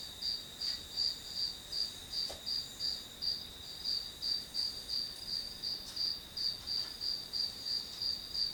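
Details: Grass insects singing as ambient white noise while studying; rhythmic high, piercing chirps about three each second with a soft click or two in the background.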